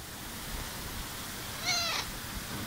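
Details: Female cat, 17 years old, living at a workplace, gives one short meow of about a third of a second, tonal with stacked overtones, late in the recording over a steady background hiss.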